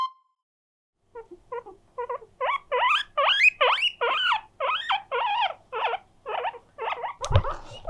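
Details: Pet guinea pig Mokohei, an attention-seeker, wheeking loudly to invite housemates to play; starts with soft short squeaks, then builds into a run of loud, rising-falling whistled wheeks about two per second, ending with a bump.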